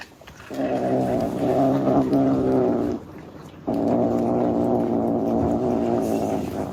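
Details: Kittens that have just seen food produce two long, low, rough growling sounds of about two and a half and three seconds, separated by a short pause.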